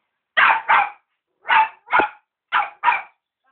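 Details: Cavalier King Charles Spaniel puppy begging for dinner, giving six short bright barks in three quick pairs, each pair a double yap with a short pause between pairs, indoors with no other sounds.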